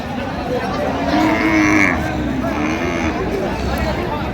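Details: Cows with calves at Raniganj cattle market, Dinajpur, on 20 October 2025; a drawn-out, level low moo lasts about a second amid steady crowd chatter and bargaining voices.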